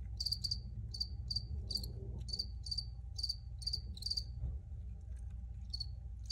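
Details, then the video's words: Several crickets chirp in clustered bursts of rapid, high-pitched pulses, slowing to single chirps toward the end, while a low continuous background rumble persists throughout. "Free Cricket Sounds"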